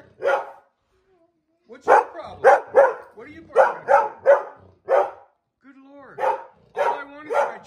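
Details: Feisty Airedale Terrier refusing to give up a chair, answering its owner with bursts of short, throaty, moaning grumbles and yips in uneven runs, separated by pauses, with a person's voice around it.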